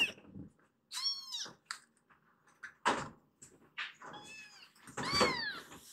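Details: Foster kittens in Japan, rescued and temporarily housed, meowing to be let out of their room onto the sofa: several high, arching, harmonic-rich mews in quick bursts, with bumps and thuds in a small room.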